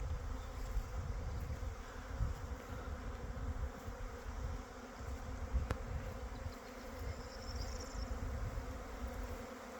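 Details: Honey bee colonies busily working in early spring, storing honey for winter: continuous low humming drone, with gusty rumbling and a single sharp click near the middle.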